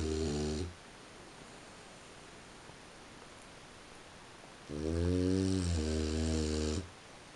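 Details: Sleeping French Bulldog snoring at 3:45 a.m. in a quiet room: one snore trailing off at the start, then a long rasping, buzzy low snore of about two seconds after a silent pause.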